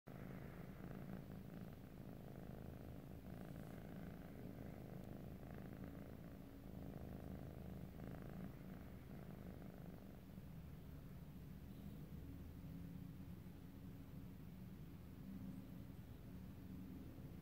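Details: Sleepy, fluffy Munchkin cat purring: a soft, steady low rumble pulsing evenly throughout, quiet and close, with no other sounds.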